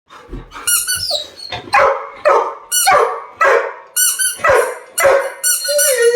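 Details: Sam, a Labrador Retriever indoors, angry at not being given his toy: a run of about eleven short, harsh barks roughly every half second, mixed with high squeaky whines between them.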